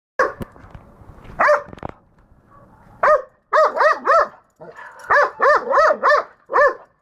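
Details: Pet dog barking at a hedgehog: sharp, harmonic barks, a few scattered early on, then two tight bursts of four to five quick barks each in the second half.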